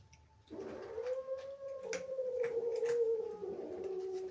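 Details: Indoors, an angry she-cat resenting kittens in the house holds one sustained, slightly wavering moaning yowl lasting nearly four seconds, with faint clicks and rustles behind it.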